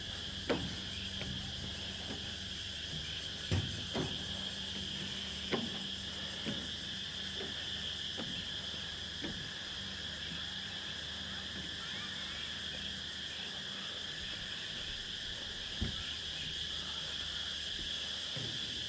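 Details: Insects on Nang Yuan Island at dusk, their high pulsing chorus softer and thinner as someone walks by, with repeated footstep thumps and knocks and a low hum underneath.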